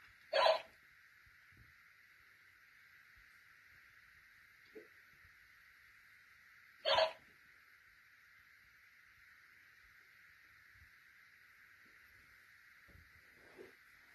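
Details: Dachshund puppies at play: two short, sharp barks about six seconds apart, each a brief broadband burst, with a steady electrical hum in the background and a few faint knocks between them.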